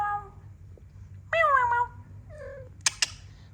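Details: Mother cat playing with kittens indoors: a short high meow opens, then a loud descending meow and a softer falling mew follow, with sharp clicks and a woman's soft voice nearby.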